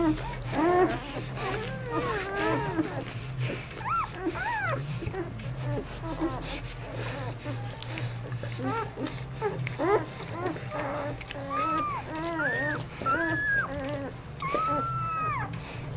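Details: Newborn pups, four days old, ten in all, whimpering as mother dog Aiki washes them on Mother's Day: repeated arched squeals and thin whines, several overlapping, more high-pitched toward the end, against a steady indoor hum.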